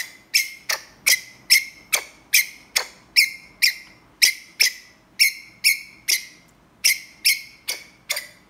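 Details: Ground squirrel giving an earnest call to a mate: a steady series of sharp, high chirps, about twenty in eight seconds, each a short bright note dropping quickly in loudness, slightly uneven spacing, with nothing else heard.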